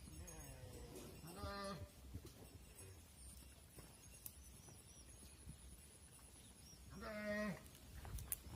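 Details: Cattle on a farm, with mother cows entering the barn while their calves stay outside. Two drawn-out, harmonic moos about six seconds apart, rising then level, over steady low rumbling and clatter.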